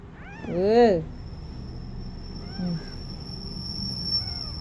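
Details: A little kitten trying to walk lets out one loud, rich meow that swells and drops away, followed by two fainter, shorter cries, with a thin steady electronic whine in the background.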